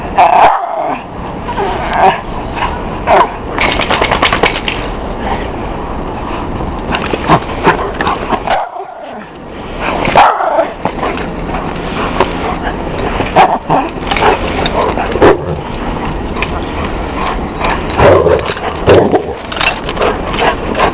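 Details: Male Miniature Schnauzers playfully attack a Weimaraner they live with, growling and barking in rough, repeated bursts.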